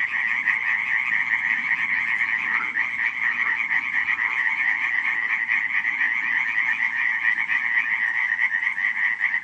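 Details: Many frogs croaking together on a July 2015 night at Radziszów, producing a constant buzzing, rattling drone of overlapping calls that never drops out, with faint low rumble beneath.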